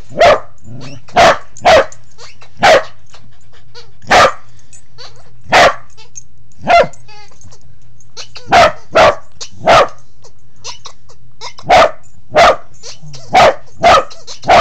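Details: Pembroke Welsh Corgi barking while crawling low under a bed indoors: loud, sharp single barks repeated at uneven intervals, sometimes in quick pairs or triplets, with short quiet gaps and a faint low hum behind.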